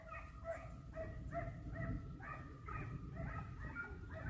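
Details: Hare hunting dogs baying on a hare hunt in Italy, with a hare flushed and seen twice; a pack gives rapid, tonal, overlapping yelping barks roughly twice a second, steady throughout, over low wind rumble.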